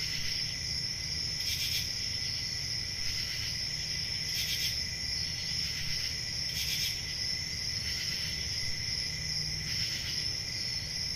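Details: Summer-night crickets in quiet countryside. A steady, piercing high trill is broken by five brighter buzzy chirps about two seconds apart, over a gentle low hum.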